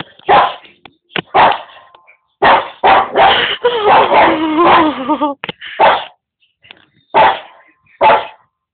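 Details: A Boston Terrier barks at other animals shown on television, giving loud, sharp barks in quick bursts, with a longer whining, wavering stretch in the middle and single barks spaced about a second apart at the end.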